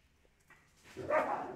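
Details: Siberian Huskies; after near-silence, one short, broad, bark-like yelp bursts out loudly and fades quickly.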